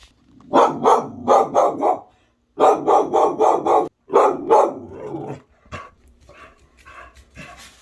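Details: A one-year-old female pit bull mix barks at a ceiling fan she has just discovered, in rapid, insistent bursts of four or five with short pauses, and will not stop.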